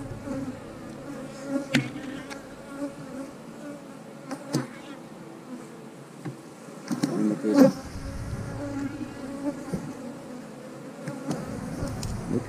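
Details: A continuous low hum from honey bees on an eight-frame hive being inspected for brood and nectar. The bees turn feisty when work begins. Several hard clicks and knocks come from frames being moved.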